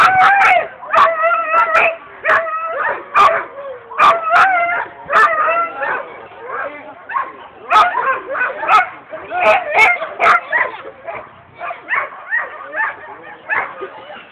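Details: Alaskan Husky at the 2011 Swedish dryland championship in Nybro, October, giving excited, rapid high yips and whining howls, dense and continuous, with sharp clicks and clatter throughout.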